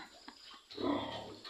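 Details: A mother sow described as frightening gives a short, harsh, rough call with a coarse low-to-mid tone, rising in loudness partway through and lasting under a second, set against faint indoor background noise.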